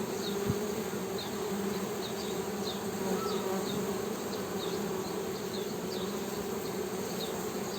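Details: Honey bees humming in a steady, continuous low drone with an overtone above it, while faint high chirps from small birds repeat about every half second in the background.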